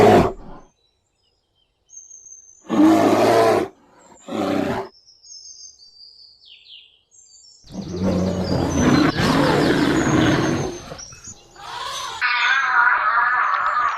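A bear gives two short, rough, low growls, then a longer rumbling growl. Background music and faint whistling tones run alongside.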